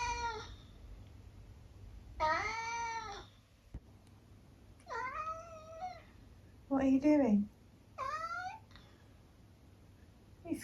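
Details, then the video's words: Indoors in the morning, Eric the tabby cat keeps up a chatty exchange: five separate meows, some long and bending downward, others shorter and clipped, with brief quiet gaps between them and faint room hum. "conversational cat clips"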